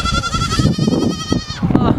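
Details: Dozens of domestic goat kids jumping, yelling and playing together; a high, quavering, trembling bleat lasts about one and a half seconds over a busy background of rustling, scuffling and other low sounds from the herd.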